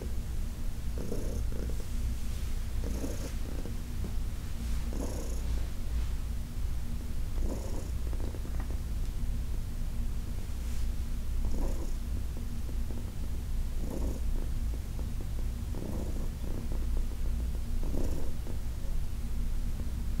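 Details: Continuous low purring from Heidi, an elderly cat who spent ten years at the Humane Society of New York City, under massage; the rumble holds steady throughout, punctuated by soft breath bursts every couple of seconds.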